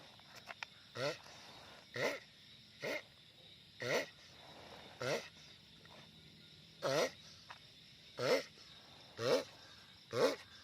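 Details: Loud sulcata tortoise, the giant tortoise, giving about ten short, wobbling, harmonic calls at roughly one per second, some stronger and some fainter, against constant low hiss.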